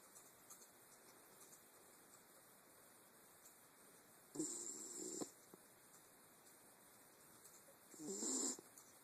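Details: Wire Fox Terrier asleep, giving two soft, rasping snores about four seconds apart, separated by quiet breathing and low background hiss.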